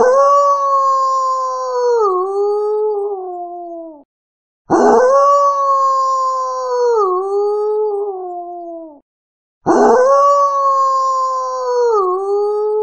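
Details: Wolf howling three times in a row: long, clear tones that begin with a rasp, stay level, drop a little partway through and trail off downward, with short quiet gaps between.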